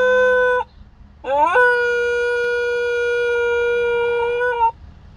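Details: Young pet dog howling while coming out of anaesthesia after neutering surgery, indoors: a long steady tonal howl, a pause, then a rising onset settling into a sustained even note lasting over three seconds.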